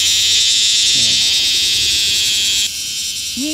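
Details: Bear cicada, with a male and a female noted, producing an intense, unbroken high buzz that cuts off abruptly near the three-quarter mark, leaving a weaker hum, with brief human vocal sounds near the start and end.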